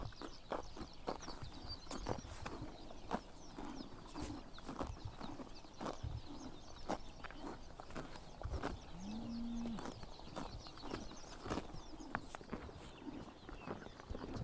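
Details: Horses biting grass in the morning sun during summer in Mongolia: steady crisp tearing and crunching bites recurring about every half second, with one brief low droning tone midway and soft outdoor ambience.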